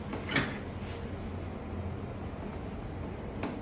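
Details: Low rumbling background with a few dull knocks like a door or cupboard closing, and no animal sounds.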